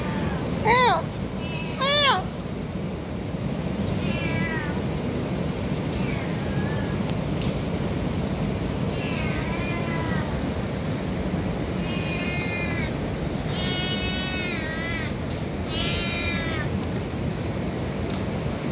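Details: Domestic cat calling out when hungry: two loud rising meows near the start, then a series of quieter wavering meows every second or two, over constant low-pitched background hum.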